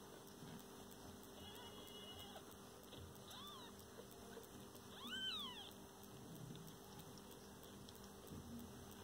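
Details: Domestic cat with a mother and her kittens: faint short mews early on, then one loud arched meow with rising and falling overtones near the middle, over a steady electrical hum.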